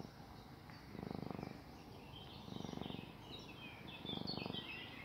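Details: Purring cat, kneading as though its owner were its mother. Three soft bursts of low, fast-pulsed rumbling rise and fade, about every one and a half seconds, with bird chirps and twitters above.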